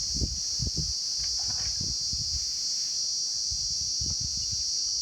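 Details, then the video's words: Insects, described as crickets, calling during daytime rain: a steady, unbroken high-pitched shrill drone runs throughout, with soft irregular low thumps and patter beneath it. "Sound of insects in Rain."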